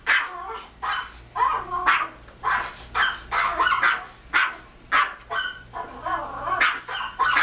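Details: A Pomeranian barks rapidly in sharp, high yaps, about two each second, at a video of another Pomeranian barking on screen.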